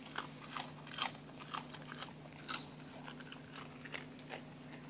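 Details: Rice cracker crunched by a fat Shiba Inu: sharp, separate crunching snaps roughly every half second, loud and brittle, with a faint steady hum behind.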